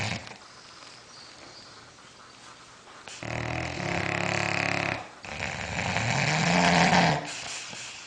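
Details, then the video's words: Sleeping bulldogs snoring indoors: after a quiet stretch, two long, rough, rumbling snores of about two seconds each, the second louder and growl-like, separated by a short breath pause. "snoring bulldogs"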